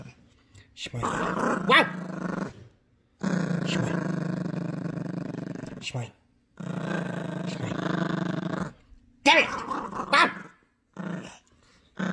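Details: Gracie, a sassy female Yorkshire Terrier puppy, growls protectively during a tug-of-war over her brand new squeaky toy; long rumbling growls come in bursts of a few seconds, broken by short pauses, with a toy squeak and a woman's voice.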